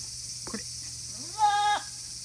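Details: A goat kid about 40 days old on a small hand-built goat farm in Himi, Japan, on 14 August 2018 gives one clear rising then level bleat lasting about half a second, after a brief soft rustle, over a steady background hum.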